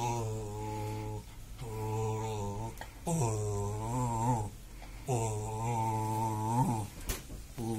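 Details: Pet dog groaning with pleasure during a back scratch indoors, long low rumbling moans that waver slightly in pitch, four phrases of roughly one and a half seconds each, with soft clicks and rustles between them.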